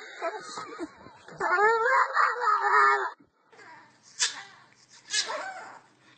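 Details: Dog making a funny sound: a rising, wavering high whine lasting about a second and a half, preceded by soft scratchy noises and followed by two short sharp bursts after a brief silence.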